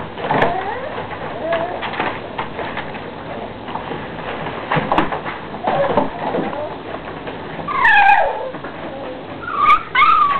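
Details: Puppies playing, with steady scuffling and rustling throughout, then a few high, wavering whines and short yelps near the end.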